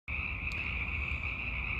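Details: Hundreds of Sierran (Pacific) chorus frogs call at night in late winter or early spring to attract mates, blending into a dense, steady high trill; each frog's call is individually identifiable.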